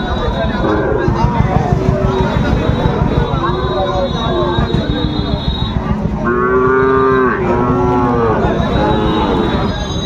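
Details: Amid heavy trading at Ambari market, Dinajpur, on 14 March 2025, Sahiwal bull calves low over crowd noise. A drawn-out, arched moo rises near the end, followed by a shorter one, above constant human voices and a high tonal whine.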